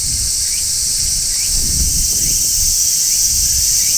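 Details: Large brown cicada singing on a tree in midsummer: a steady, dense, sizzling shrill drone that holds without a break, with faint short chirps from another caller and a low rumble beneath.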